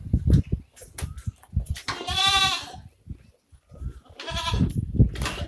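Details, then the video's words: Osmanabadi goat on a goat farm: two drawn-out, wavering nasal bleats, each about a second long, separated by clattering knocks and low thumps. "उस्मानाबादी शेळी"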